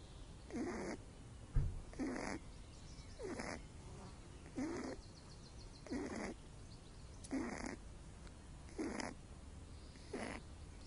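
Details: Snoring pet rabbit Little Loopy, born with cerebellum damage, dozing in the sun; steady raspy snores come roughly every 1.4 seconds, about eight in a row, even and rhythmic over a quiet background.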